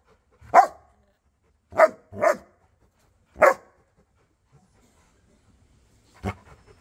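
A Rottweiler gives loud, deep single barks at irregular intervals, with silence between them.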